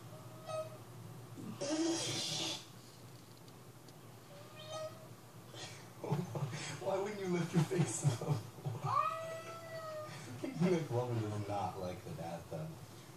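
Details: Domestic cat meowing, with drawn-out tonal cries at the start, mid-clip and a longer level one near the end. Human voices and murmuring fill the gaps between the meows.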